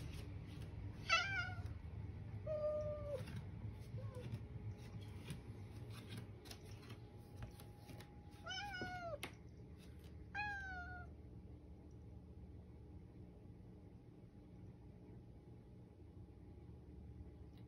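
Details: Toto, an affectionate pet cat, meowing in a hoarse voice while trying hard to communicate indoors; several short harmonic meows, some rising then falling, spaced a few seconds apart over faint room noise, ending in quiet.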